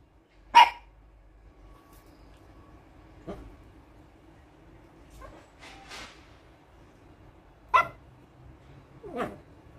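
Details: A Toy Poodle in Singapore gives sharp, high-pitched single barks spaced a few seconds apart.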